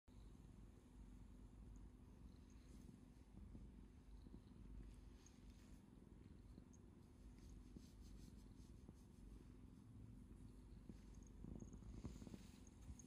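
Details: Domestic cat purring while rubbing its face against a hand and stretching out a paw to show its paw pads, seeking affection; a steady low rumbling purr runs throughout, with faint light rustling and soft clicks above.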